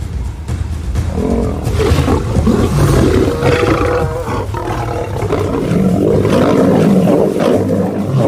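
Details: In a pride documentary, an African lion's snarling, rasping roars build and overlap for several seconds, rough and throaty, with documentary music mixed in beneath the animal noise.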